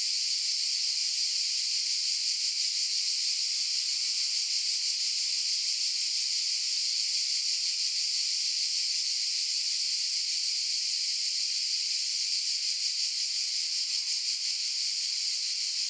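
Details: Cicadas making a continuous, high-pitched buzzing drone that holds steady for the whole stretch, with a faint rapid pulsing texture and no other sounds.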